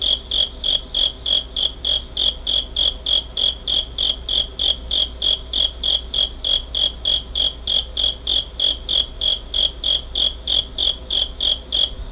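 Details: Steady high chirps of a cricket, taped 27 August 2011 with a Pentax Optio S5z camera, repeating about three times a second in an even rhythm, no pauses, over quiet low-frequency background noise.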